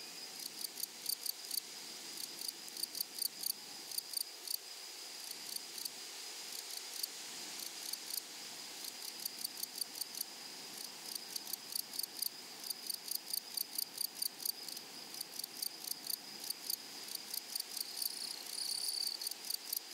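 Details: Grasshoppers singing in a flowery prairie meadow: crisp, high, scratchy pulse trains repeated in short bursts across the whole stretch, layered over a continuous thin high-pitched insect drone.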